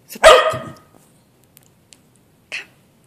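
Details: A cockapoo gives one loud, short bark on a speak command during trick training for treats, a brief sharp yelp that fades quickly, followed by a faint second sound.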